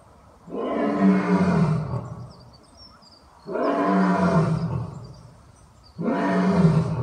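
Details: A captive lion, behind safety glass and an electric fence, gives three deep, rumbling roars about two seconds apart.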